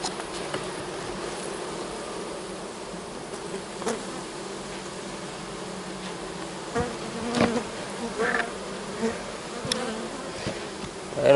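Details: Honey bee colony being split in fall, frames of honey and empty comb handled as a queen excluder goes in; continuous buzzing drone broken by scattered clicks and knocks of hive equipment.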